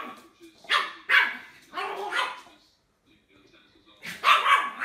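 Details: Barking dog from a cute puppy and dog compilation, giving a quick pair of yaps, then a rougher bark, a pause, and another burst of barking, with quiet talking in the background.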